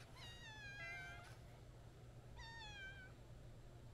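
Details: Attention-seeking white-and-brown street cat by a roadside, meowing as it approaches: two long, clear meows with a slight wavering contour, roughly two seconds apart, with steady low background hum.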